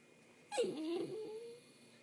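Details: A male dachshund whines for attention during allergy season, giving a single nasal whine that dips sharply, then draws out into a thin, slightly rising tone.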